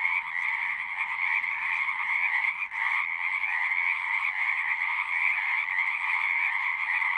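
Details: Frogs singing in an hour-long natural recording: a dense, unbroken chorus of overlapping trills with two steady bands, one high and one lower, holding constant loudness apart from a brief dip near the third second.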